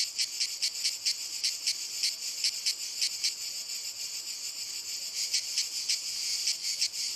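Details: Cicadas calling from walnut trees: high metallic buzzing broken into sharp rhythmic pulses, fading to a steadier hiss mid-way before the pulsing resumes, a thin high tone running in the background.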